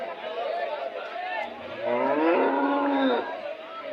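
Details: A bovine bellow at the Monday cattle market by Kg Temple, Gubbi taluk, Tumkur district, Karnataka. One sustained moo rises midway through and then fades, set among market chatter and talking traders.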